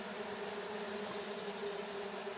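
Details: Close, loud honey bee swarm buzz during a swarm capture: a dense, steady drone with a clear hummed tone and no pauses.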